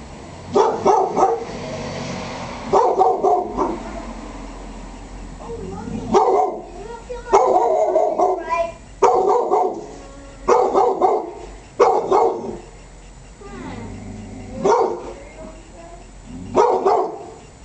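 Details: Angry pit bull protecting the yard: deep, harsh barks in bursts of two or three, repeated every second or two with short gaps.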